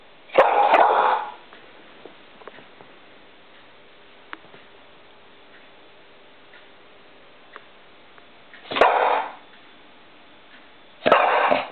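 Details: Poppy, a female pet dog, barks at a light reflection on a wall while trying to catch it; one bark, then a long quiet pause with small clicks, then two more barks in close succession.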